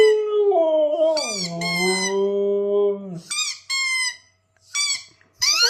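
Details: A Siberian husky reacting to a squeaky sound gives a long, wavering howl that slides downward, then short yelping whines.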